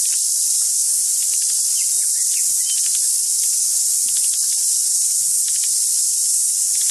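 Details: A deafening cicada chorus, a steady high-pitched shrill hiss that never lets up, with one cicada singing close on a tree and tuis in the background.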